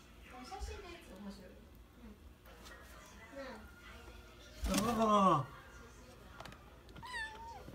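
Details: Pet kitten Ohana relaxing in a kotatsu at home, licking then gently play-biting; Japanese speech runs throughout, broken by one loud, harmonic, wavering meow mid-clip and a shorter higher mew near the end.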